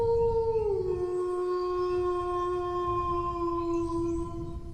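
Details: Dog howling: a short higher note slides down after less than a second into a long, level, sustained tone that continues to the end. Steady low background noise underneath.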